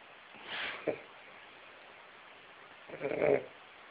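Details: A sleeping Weimaraner snores loudly, giving soft, breathy rasping breaths spaced a few seconds apart.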